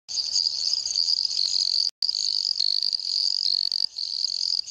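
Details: Dendropsophus microps treefrog calling in Jaraguá do Sul, Santa Catarina, Brazil gives a shrill, high-pitched buzzing call that runs almost without pause.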